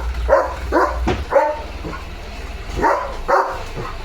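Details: Leo, a German Shepherd, barking at a tractor driving in front of his house carrying murum soil; several short harsh barks in two bursts, with a person talking and low engine rumble underneath.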